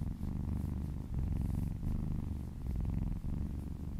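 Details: Close, deep purring from a happy cat being massaged, a buzzing low drone broken by quick breath gaps near one and three seconds, soft rustle of fur in the background.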